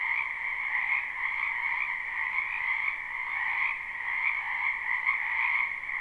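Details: Wetland frogs chorusing in spring, captured live: a continuous buzzy trill in two pitch bands, gently rising and falling in loudness, with no other wildlife or human sounds.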